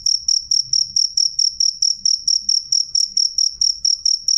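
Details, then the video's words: Jangkrik cricket singing loud and clear, a rapid even series of short, high trilled chirps, nearly four each second, over faint low background noise. "suara jangkrik jernih keras"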